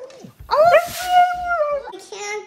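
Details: Female Siberian Husky indoors at home during a shelter-in-place order, 'talking' with a boy about wanting to go to the dog park: a drawn-out wavering moan that rises, holds steady, then sags, followed by a shorter second moan.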